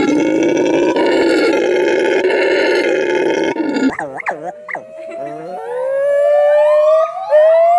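A monkey's voice opens with a loud, rough, sustained roar. It then breaks into quick swooping hoots that settle into long, steadily rising whistled notes.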